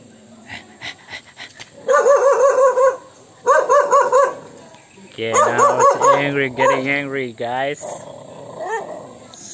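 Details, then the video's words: Dog reacting with anger to an annoying sound: a few soft clicks, then two sustained tonal barking bursts, followed by a run of rapid wavering yelps and a final fading whimper. "Annoying sound dog hate"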